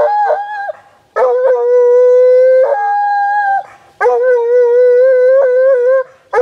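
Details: A rescued Walker Hound of a deer-hunting strain bays after sighting a deer in Preservation Park, Guelph, Ontario, Canada, on a hot summer day in 2012. Long, steady, mournful howls with rich overtones last one to two seconds each, separated by brief gaps.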